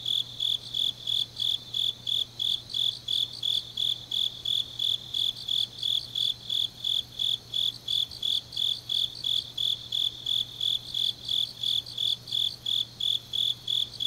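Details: Night chorus of grass insects in deep autumn at Changnyeong, Korea: rapid, regular high chirps pulsing throughout, layered with a fainter second shrill trill, and a low steady hum in the background.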